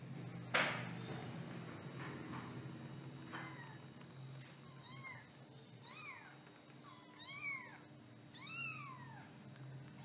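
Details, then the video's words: Kittens giving a series of short, high meows that rise then fall, starting soft and growing louder and closer together over the last several seconds, with a faint low indoor hum beneath. "Sounds of Lovely Kittens"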